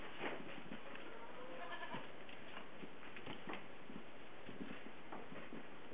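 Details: Two-day-old Nigerian Dwarf goat kids, frisky newborns of the doe Splash born March 11, 2011, on a farm in Western Colorado; short wavering bleats near the start and again around two seconds, amid steady thumping and rustling.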